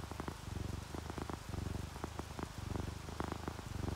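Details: Deep, steady purring from relaxed, drowsy house cats, an orange tabby and a calico, throbbing low in breath-long waves close to once per second, with raindrops tapping irregularly on top.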